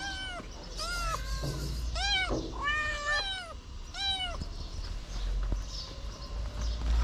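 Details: Feral kitten up on two legs licking fingers: a string of bright arched meows, about six in quick succession over steady low outdoor rumble, then fading into background noise.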